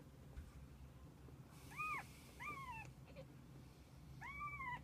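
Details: Kittens with their mother cat, spending the day together: three high arching meows, each rising then falling, spaced about a second apart, over a quiet indoor background with low hum.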